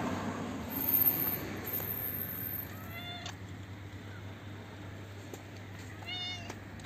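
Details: Toothless old stray cat, a hungry female, meowing as she is fed from a roof near her neighbourhood front yard. Two clear, brief meows, the second about three seconds after the first, over a constant low hum.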